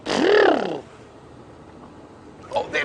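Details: At sunrise on a morning African safari drive on 15 October 2016, a young African elephant calf on the move gives one brief, rich, nasal trumpeting squeal that rises then falls. Quiet and a short human voice follow.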